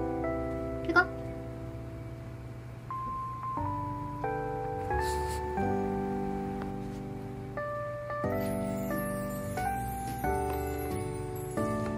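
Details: A gentle chime-like melody plays over soft accompaniment, with a brief voice near the start.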